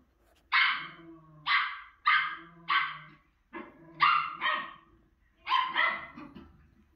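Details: A female Miniature Schnauzer barks while watching herself on TV: sharp, bright barks, about eight in seven seconds, some in quick pairs, with low faint sounds from the television beneath.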